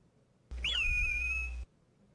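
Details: Alaska marmot alarm call, played back as an example of how marmot alarm calls differ across species: a single clear whistle lasting about one second that drops briefly and then holds a steady high pitch, over a low steady hum.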